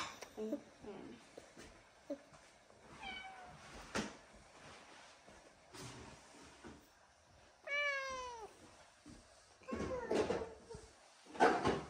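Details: Female Bengal cat indoors near a baby sister, giving several short meows with falling harmonic sweeps, the clearest near the middle, amid soft speech, faint music and handling noises.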